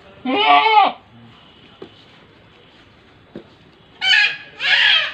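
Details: Large-breed pet goat giving a short harmonic bleat, then after a quiet pause two more bleats in quick succession, bright and nasal, over faint background hiss with a couple of soft knocks.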